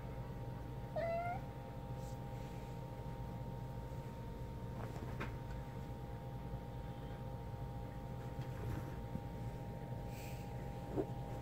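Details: A hyper kitten eager to play fetch lets out one brief meow early on, followed by quiet with a constant low hum and a few soft knocks and rustles.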